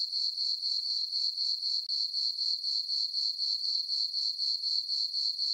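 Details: A summer night on the farm, crickets calling in a moonlit meadow. A continuous high-pitched chirring beats in quick regular pulses, roughly four each second, alone against silence.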